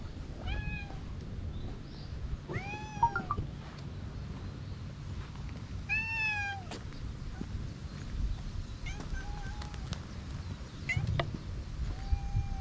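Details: Free-roaming stray cats at various spots on a cat island, filmed with a GoPro HERO8 Black. Clear, rising-then-falling meows repeat every couple of seconds over a steady low hum, with faint voices in the background.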